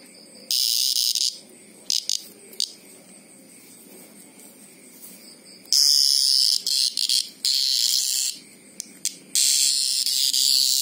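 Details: Greengrocer cicada screaming in loud, intense high buzzing bursts, several lasting about a second or more and others brief, separated by quieter gaps with a faint background hum.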